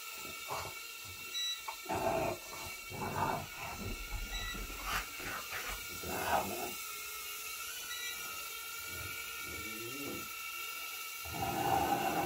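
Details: In a living room, Bob the dog chases a low-powered indoor drone, giving a cluster of rough barks early on, then a single bark near the middle. The constant buzzing hum of the flying drone runs throughout.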